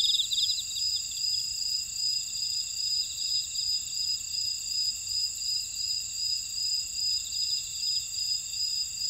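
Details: Buckwheat field insects at Ora-dong, Jeju City, Jeju Island, South Korea, form a dense shrill chorus of continuous high whines, with softer rapid trilling pulses weaving through at an even, gently rising and falling level.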